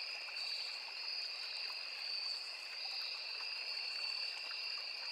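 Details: A constant insect drone from crickets in forest near a small river: shrill, sustained trilling at two stacked pitches, steady in loudness, with gentle stream burble below.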